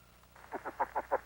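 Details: A caterpillar placed on a membrane and picked up by a very sensitive microphone gives a vibrational call, or "song": a short run of rasping, quacking pulses.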